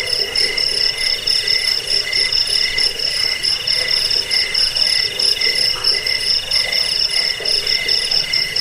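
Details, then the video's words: Chirping crickets, a sound used against rats, for sleep and as a model for songbirds; unbroken shrill pulsed trilling at a few high pitches, slightly uneven in loudness, with a dull low hum underneath. "Suara jangkik pengusir tikus pengantar tidur"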